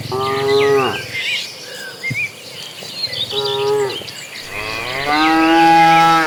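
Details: Herd of dozens of cattle migrating toward green pasture; three lowing moos, two short and one longer rising at the end, spaced a couple of seconds apart, while small birds chatter continuously in the background.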